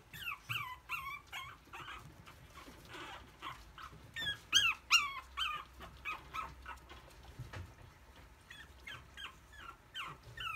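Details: White-and-red puppy from a breeder, recorded 27 May, lets out bright, high-pitched squeaky whines in quick clusters, roughly two or three a second with pauses between, some notes bending upward, over quiet low rumble.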